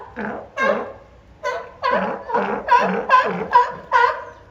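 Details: California sea lions, two animals kept at Higashiyama Zoo and Botanical Gardens, recorded 10 April 2024, competing vocally: eight loud, rough, honking barks in under five seconds, each a broad harmonic burst, spaced roughly half a second apart.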